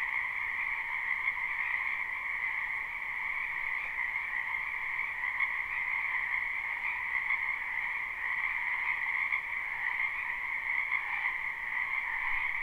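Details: Spring wetland frogs in full chorus, captured live with no looping: countless overlapping croaks fuse into one continuous, even, high-pitched trilling hum that holds steady throughout, with no distinct single callers, voices or other noises.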